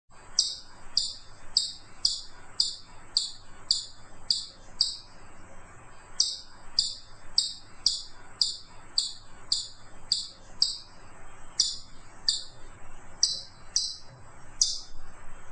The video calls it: FUNNY CHIPMUNK SOUNDS